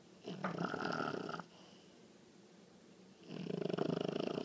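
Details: Nugget, a 20-week-old female English bulldog puppy, sleeping, her snoring recently grown loud. Two long, rasping, rattling snores about two seconds apart, the second rougher and pulsing, with quiet breathing in between.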